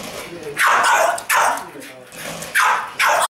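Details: French Bulldog barking while playing with a remote control car. Four loud, harsh barks in two pairs, with a person speaking softly in the gaps.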